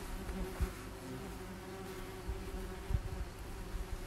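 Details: German wasps at their nest, many insects flying around while the nest is treated; a low, steady droning hum with soft thuds and knocks.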